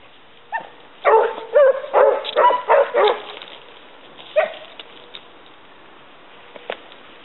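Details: Basset Hound pack of the Côtes de la Saunade hunting hare, giving a burst of about six loud overlapping bays close together, then a pause and a few scattered fainter yelps.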